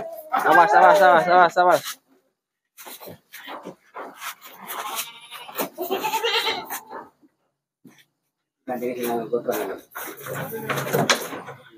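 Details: Goats from a truckload of sixty sent at night to the city of Jambi: a loud, quavering bleat for about two seconds opens, then voices, thumps and shorter bleats near the end.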